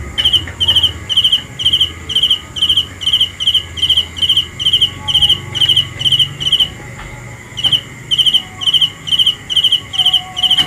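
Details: Cricket at night giving bright, high-pitched pulsed chirps, each a short trill, repeated about twice per second in a steady rhythm with brief pauses, over a low rumbling background hum.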